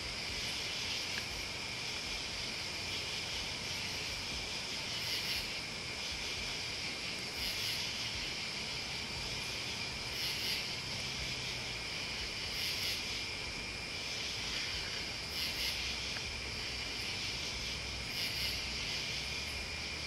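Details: Crickets and other bugs forming a steady, high, shimmering chorus of continuous trills, with brighter, sharper pulses breaking through roughly every two to three seconds over a faint low rumble.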